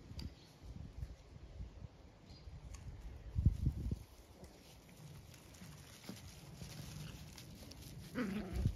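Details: Zwartbles ewes in a field on a regenerative farm in County Kilkenny, Ireland, calling while their field is checked. Low, rough bleats swell midway, and a higher, brief bleat comes near the end over steady outdoor background hiss.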